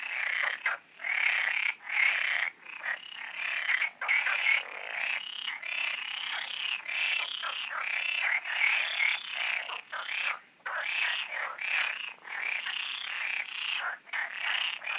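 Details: A dense night chorus of frogs at large garden ponds in Poland, recorded at night shortly before the full moon, croaking and rattling in overlapping bursts with hardly a pause.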